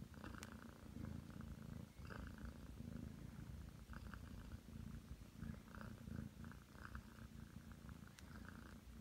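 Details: Aki, a Ragdoll cat aged nine months, kneads indoors on a bed while purring. The low pulsing drone holds steady, briefly dipping near two seconds, with light scratchy rustling overhead.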